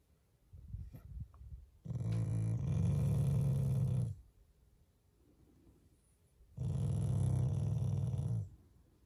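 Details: Shiba Inu, a family pet, growling out of affection rather than anger: two deep, rumbling growls, each about two seconds long, separated by a quiet pause.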